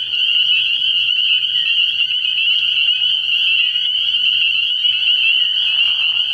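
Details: Spring peepers in full chorus at a frog pond on an early-year night. High, ringing peeps blend into a constant trilling drone, and a faint low pulsing sound recurs underneath.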